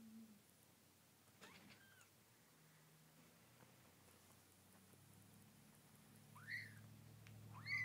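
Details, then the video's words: Snow Bengal kittens about two weeks old resting with their mother; a quiet stretch with faint rustles, then two short rising mews near the end, the last one louder. "Snow Bengal kittens"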